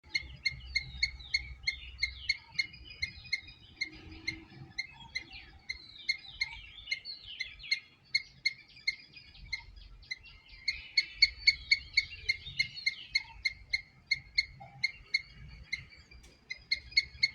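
A squirrel gives sharp, high chirps in a quick, steady series, with birds warbling behind.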